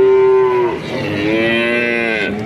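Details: Male calves, about five to six months old, in Grabag, Magelang regency, Indonesia: a steady, clear moo that drops in pitch and breaks off, followed by a second lower moo that slowly rises and then fades.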